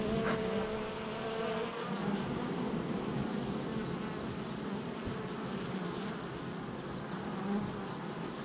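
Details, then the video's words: Continuous buzzing of many honey bees coming and going at the entrance of their hive, recorded July 22nd, 2024; a brief higher flight tone opens, then an even, rough hum persists. "Honey Bee Hive Entrance Activity"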